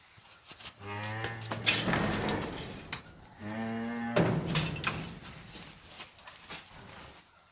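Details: Cattle on a farm beside a newborn calf standing up for the first time; two long, deep, harmonic moos, each about a second and a half, separated by a short pause, with some rustling.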